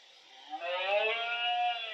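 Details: Red deer stag with 12-point antlers bellowing at the height of the rut, October 2023, Cerro Escribano and La Tinajilla, Refugio de Fauna Chico Mendes, Iberia: one drawn-out, rich harmonic roar, rising and then holding steady for about a second and a half.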